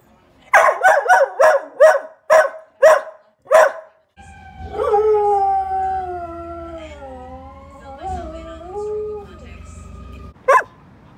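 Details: Church, a chatty young pet Bedlington Whippet Lurcher, gives seven quick sharp barks. Then comes a long, wavering, tonal howl of about six seconds that dips and rises in pitch over a low steady hum. One last bark closes the clip.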